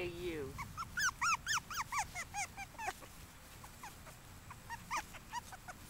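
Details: Five-week-old puppies from Maggie's litter whimpering: a rapid run of high, arched squeals and whines, several voices overlapping, fading into scattered shorter yelps near the end.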